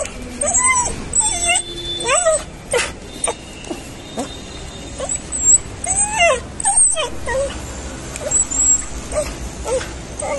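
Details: Stray street dog running up to greet a familiar person and jumping on his chest for attention, crying happily: a rapid series of high, rising-and-falling whines and yelps, some clustered, others separate, with short scratchy sounds between.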